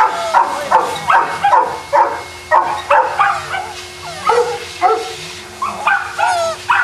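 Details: Boston Terrier dogs at a kennel in Jamundí near Cali, Colombia, giving sharp, high barks and yips in uneven bursts, roughly two or three per second, with a faint steady hum behind.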